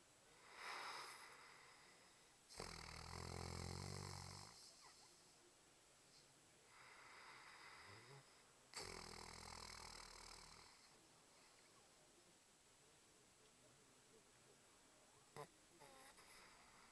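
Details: Diesel the dog snoring: two long, loud rasping snores around two and nine seconds in, each lasting about two seconds, with a softer breath between them and quiet room sounds after.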